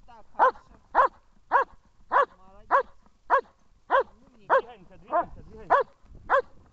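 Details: German Shepherd barking during protection training in Horlivka, recorded 14 February 2021: sharp, loud barks repeated at a steady rhythm, about eleven in under seven seconds, with faint background voices.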